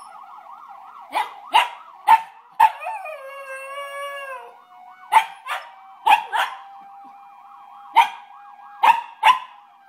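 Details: Male Maltese poodle responding to a fire truck siren with a string of short, sharp barks and one drawn-out wavering howl in the middle, over a constant warbling siren.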